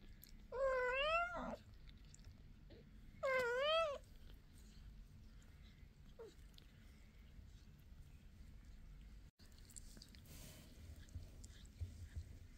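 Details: Mother cat talking to her babies: two long, wavering meows about three seconds apart, each over a second, followed by a faint short call and then quiet room noise with soft rustling.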